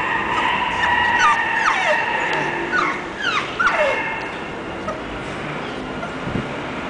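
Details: English bulldog whining with a run of high, thin whimpers and squeals, several sliding steeply downward, clustered in the first four seconds and then fading to a steady background hiss.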